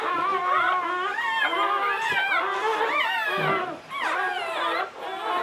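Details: English Springer Spaniel Latte, giving birth to her seventh of nine puppies in 2013, lets out loud, sustained howling whines that waver up and down in pitch, with two short pauses.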